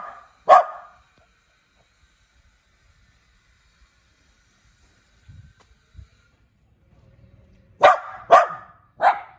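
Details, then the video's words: {'caption': 'Small cute dog gives one sharp bark, falls silent apart from faint low rustling and thumps, then lets out three rapid barks in a row.'} "หมาน้อยน่ารัก เสียงหมาเห่า"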